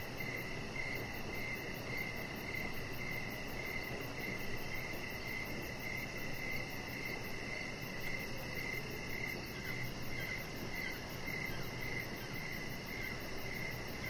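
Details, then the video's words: Evening crickets heard from a deck outdoors, with high chirps pulsing steadily through the whole stretch, a faint very high trill, and a constant soft noise floor with low rumble. "Cricket Sounds"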